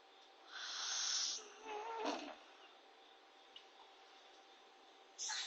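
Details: Short-legged Corgi NANA snoring in sleep after being bathed: a loud airy hiss, a shorter nasal snort right after, a long quiet pause, then another breath beginning.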